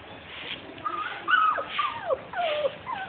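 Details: Labrador retriever puppies, 42 days old, kept for sale, giving high whimpering whines that slide up and down, several overlapping cries in quick succession with a faint background hiss.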